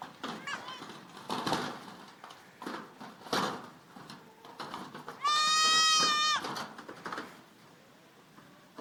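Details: Young goats at play in a goat pen, with one kid letting out a high, strained, steady bleat of about a second amid rustling, bumping and faint background chatter.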